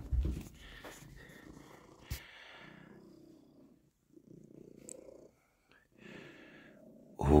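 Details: A small tomcat, said to almost never purr, purrs in a steady low rumble while kneading as he is stroked, with a man talking over it.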